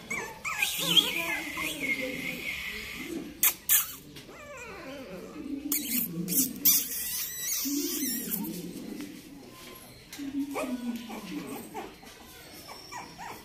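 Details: Shih Tzu puppies in Bangalore giving thin, wavering whimpers and whines, some sliding downward, mixed with people talking and occasional clatter.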